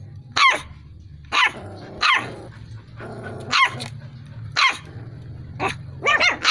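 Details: Dalmatian crossed with an Askal barking: sharp single barks repeated about once a second, with a low growling rumble between barks.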